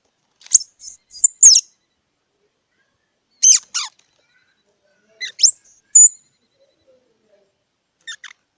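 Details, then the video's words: A squirrel calling in short bursts of high, squeaky, partly whistled chips. Groups of three or four notes are spaced a few seconds apart and separated by silence. "សំលេងដង្ហែន Squirrel 🐿️ Sound"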